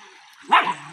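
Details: Husky dog giving a single short, sharp bark, a quick bright burst with a slight rasp, in an otherwise quiet setting.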